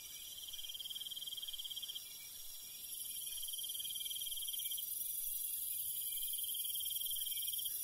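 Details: Cricket chirping in the countryside at night, repeating rapid high-pitched pulse trains about two seconds long with short pauses, while a dense insect chorus shimmers above and swells midway.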